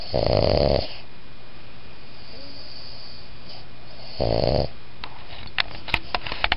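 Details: Boston Terrier and Pug designer mix dog giving a whisper snore: two breathy, rasping snores, the first nearly a second long, the second shorter after a three-second quiet gap, over steady indoor hum, with a few faint clicks at the end.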